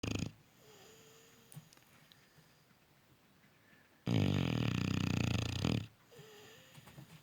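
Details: Cane Corso puppy sound asleep, snoring loudly: a soft whistling tone at first, then a long rough rasping snore of nearly two seconds, followed by a return to faint whistling breath.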